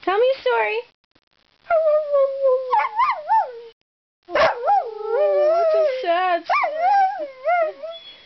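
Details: Chatty domestic dog producing warbling, wobbling howls with rapid pitch wiggles, like yodelled 'talk', in two bursts separated by a short silence.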